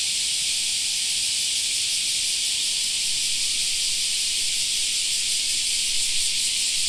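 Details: Cicadas singing in a summer park: a dense, unbroken high-pitched hiss that holds steady throughout, with no pauses or pulses and only faint background beneath.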